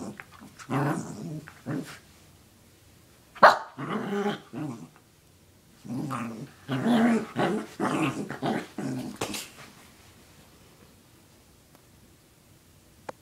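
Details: A pet dog named Sarah growls and barks indoors while chasing after a sock. Rough, rising growly vocalisations and barks come in clusters during the first nine seconds, then the room falls quiet.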